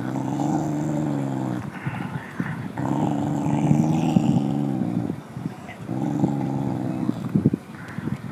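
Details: Low throaty threat growl from a mother dog guarding the bones she is chewing as a second dog comes near, sound that drove the other dog off; three sustained rumbling growls, each over a second long, separated by brief breaths and gnawing clicks.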